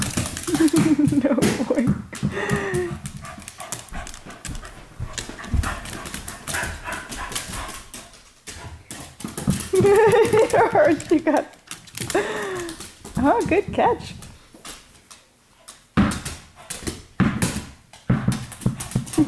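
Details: Pet dogs playing together in a living room at night, a regular evening playtime; vocal bursts of growly, whining play noises come in clusters, broken by thumps, scrabbling and sharp clicks of movement across the floor.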